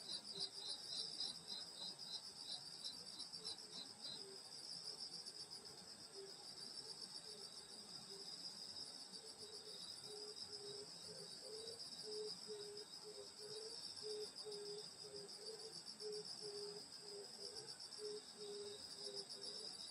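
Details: Insects singing on a summer night in the countryside at a grandmother's house: a dense, unbroken high-pitched trilling chorus with a higher shimmering layer, plus a lower pulsed chirping series repeating steadily through the second half.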